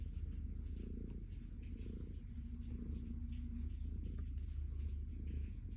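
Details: Calico cat Stella purring happily as she is petted, a throaty low vibration rising and falling with her breathing, a thin steady hum briefly underneath.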